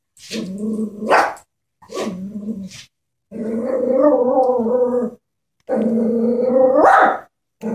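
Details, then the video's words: Chihuahua, scared of a stuffed toy horse, gives low rumbling growls that rise into sharp yaps, with short silent gaps between bursts across about eight seconds indoors. "Killer Chihuahua vs stuffed animal"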